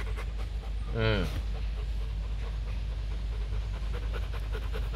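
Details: A man's short spoken phrase in Vietnamese cuts in near the start, then even, rapid panting continues from Bruno, a male Rottweiler stud dog at a kennel in Hoàng Mai, Hanoi, Vietnam.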